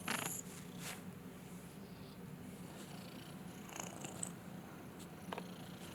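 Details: Lil BUB, a domestic cat, purring after being woken from snoring indoors: a steady, low, continuous rumbling purr runs the whole stretch, broken only by a few brief, higher clicks and rustles near the start and end.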